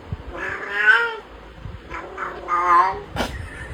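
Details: A cat that converses with its owner gives two soft, drawn-out meows, then a sharp click near the end.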